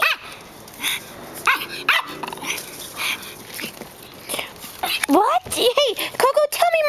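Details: Six-year-old long-haired Chihuahua, rescued from a puppy mill, excited: high yipping and whining calls with rising and falling tones, clustered in the last two seconds, after a stretch of human speech and household sounds.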